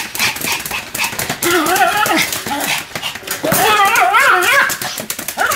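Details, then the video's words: Two Pomeranians, Sam and Marin, barking together in a duet: sharp broadband yaps mixed with wavering, yodel-like tonal cries that rise and fall in pitch, overlapping in rapid bursts. "犬の鳴き声 ポメラニアン サム マリン デュエット吠え"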